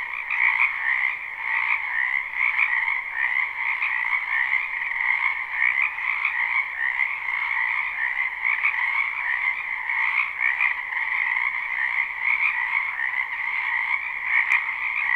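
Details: Spring wetland frog chorus, recorded live: countless overlapping croaks merge into a continuous shimmering trill, with slight pulsing swells throughout and one sharp tick near the end.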